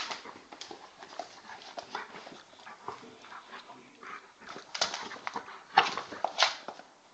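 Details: An Old English Bulldog pup of 10 kg wrestles in play with a 40 kg Bullmastiff cross male; scattered soft grunts and snorts, then sharper yelps and clattering thuds near the end.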